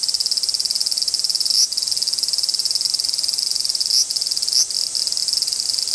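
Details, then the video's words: Large brown cicada in a territorial dispute, droning a rapid throbbing buzz interrupted by a few short dips and sharp rising flicks. "アブラゼミの諍い（Dispute of large-brown-cicada ）"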